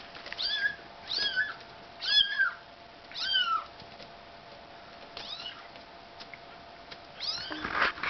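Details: Bengal kittens moving house give high, thin meows with arching rising-falling pitch, about six calls spaced roughly a second apart, some doubled, over a steady faint background hum.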